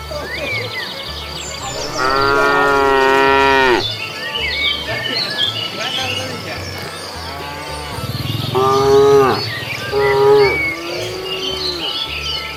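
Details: Cows strolling along a road hunting for food; a long rich moo near the start followed by several shorter harmonic calls and softer lowing, with faint chirps and a steady low hum.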